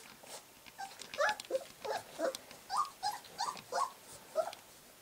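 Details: Three-week-old white golden retriever puppies give high, squeaky whimpers in short bursts, several voices overlapping.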